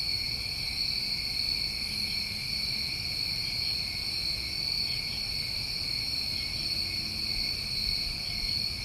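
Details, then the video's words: Crickets of a New England summer night trill in an even, unbroken chorus, several high sustained bands layered together for the whole stretch, with only soft low background hum beneath. "Over 1 Hour Of Tinnitus Masking With Crickets"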